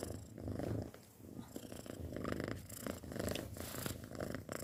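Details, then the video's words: A cat six months old purrs close to the microphone, a deep vibrating rumble swelling and easing in slow breathing cycles. "Suara Kucing Mendengkur"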